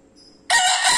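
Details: Bekisar, a 'wido' bird, crowing loudly: after half a second of near silence a sudden harsh, broadband, high-pitched crow bursts in at full strength and is still going when the clip ends.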